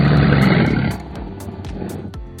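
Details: An Australian crocodile gives a deep, rumbling roar lasting about a second, then fades into a low, rough growl, with faint background noise following.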